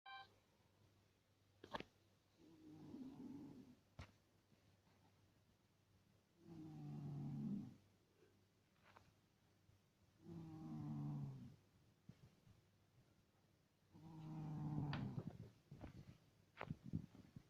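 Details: Domestic cat asleep and snoring indoors: four slow, rumbling low breaths about every four seconds, each a broad buzzy swell with quiet gaps between, plus a few soft clicks.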